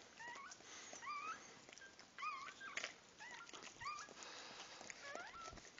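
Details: Newborn puppies just born, squeaking again and again with short upward-sweeping yelps, roughly two or three each second in uneven bursts, against a steady background hiss and soft rustling.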